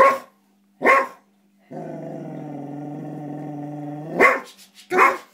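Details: Tara, a springer spaniel, growls while playing with her food: a sustained low, rumbling, tonal growl of about two and a half seconds, framed by short sharp sounds and brief human speech before and after.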